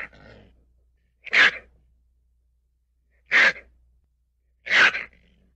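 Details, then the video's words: Ferret sneezing three times at roughly two-second intervals; each burst is sharp and breathy, and faint rustling comes before the first one. "10 hour ferret sounds"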